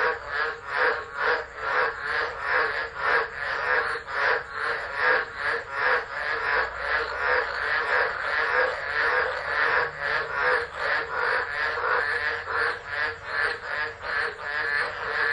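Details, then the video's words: Storm-night frogs singing at Driver, Northern Territory, Australia, 13 December 2013, phone left recording; quick, loud, overlapping croaks pulse continuously in a thick chorus, backed by a steady high-pitched drone. "Tropical Storm Frogs Singing"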